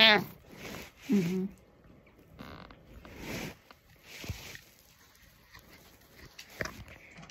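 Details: Butters, a pet cat, meows: a short, bright harmonic meow at the very start, then a brief, lower, throaty call about a second later, followed by soft rustling and quiet indoor room noise.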